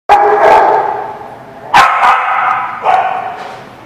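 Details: Dog barking, recorded on 19 June 2017: a loud, harsh bark, a second bark after about 1.7 seconds and a third near 2.9 seconds. Each bark is fairly deep and rich, trailing off slowly with a noisy tail.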